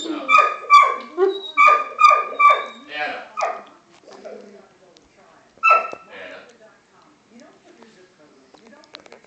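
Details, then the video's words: Dog vocalising in response to a siren: a quick run of about eight short, tonal, howl-like yelps over four seconds, then a lone louder yelp and softer trailing whimpers, followed by near silence. "Dog howling to a siren"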